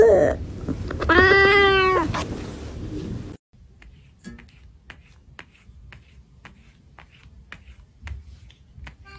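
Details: Angry domestic cat lets out a single drawn-out, wavering harmonic yowl lasting about a second, after which the scene falls almost silent apart from faint scattered clicks.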